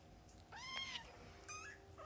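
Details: Nursing and playing foster kittens, about a few weeks old, with their mother cat: a strong, arched, harmonic-rich mew, then a shorter wavering second mew and a faint chirp at the end, against a low steady hum.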